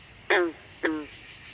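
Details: Green frog (Lithobates clamitans) gives two short, twangy gunk notes, each dropping slightly in pitch, a variant that differs from this species' standard call.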